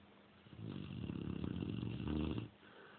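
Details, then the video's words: Female Cane Corso sleeping at night, one long rough snore of about two seconds, low and rattling with a wheezy edge, then quiet. "Cane Corso Snoring LOUD!"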